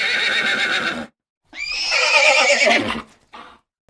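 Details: Horse neighing: after a brief break, a shrill, wavering whinny of about one and a half seconds, with a short snort-like sound following. A different noisy sound comes before the break.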